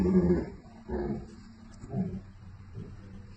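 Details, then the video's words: Two American Akita dogs in conversation, trading low growly grumbles and whimpers; four short bursts roughly one second apart, the first loudest, over a steady background hum. "What An Amazing Conversation!! #American Akita Dogs Talking"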